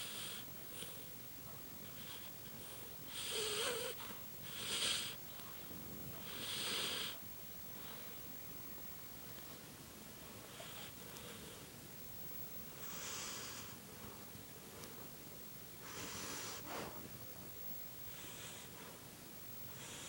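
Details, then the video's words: Dog asleep and snoring softly, scattered airy rasps in clusters with long quiet stretches between them, faint room noise underneath. "Snoring demon dog"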